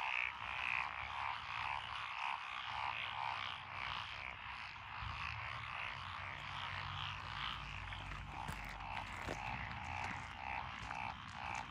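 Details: Massed frog chorus from lotus paddy fields along a rural road in Echizen, Fukui Prefecture, Japan, recorded 12 June 2021, with tree frogs, pond frogs and green tree frogs present. Rapid croaks repeat about twice a second over a continuous layered din.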